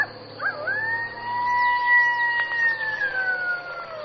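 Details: Coyote giving a long, steady howl that swoops up early, then holds a clear, even tone for several seconds before sliding slowly downward at the end, with faint wavering yips in the background.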